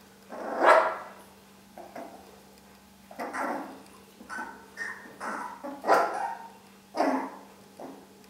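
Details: Young Long-haired Dachshund puppies, four weeks old, letting out sharp little barks about once a second or two, the first loudest, then a run of higher yapping bursts over a faint constant hum.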